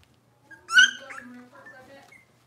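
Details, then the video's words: Cavalier King Charles Spaniel puppy, one of Robin's litter, indoors in the morning: a loud bright yelp with strong harmonics, followed by a softer, lower wavering whine that trails off over the next second. "Cavalier Puppy Live Stream: Robin's Puppies"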